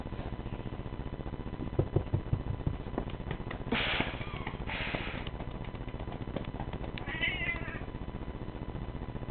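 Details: A male Siamese cat gives a brief, wavering meow over rustling, thumps and handling noise while his belly is rubbed; the owner says he likes it.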